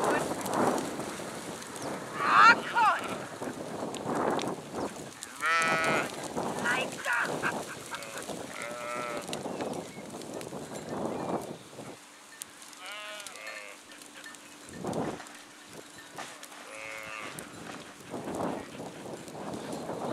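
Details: Flock of sheep with scattered, wavering bleats rising and falling, separated by pauses and rustling, some calls close and loud, others fainter, and a steady low hum in the middle part.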